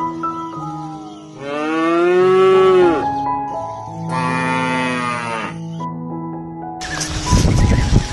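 Two drawn-out, harmonic moos from a cow, each about a second and a half, over a steady low hum, ending with a burst of rough noise.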